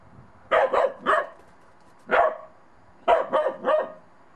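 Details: Bedlington Terrier puppy Monty, on his first outing in snow, barking at a child's small snowman he is unsure of: a quick burst of three barks, a single bark, then another triple burst.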